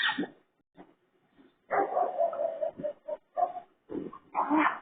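A raccoon gives harsh, pig-like grunts and a drawn-out, wavering squeal.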